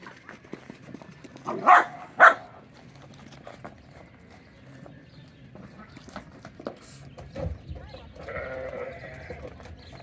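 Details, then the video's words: Goats at Finca Altozano bleating twice in quick succession, two loud harmonic calls close together, followed by softer scattered farmyard noises and a faint later bleat. "Goats going bonkers"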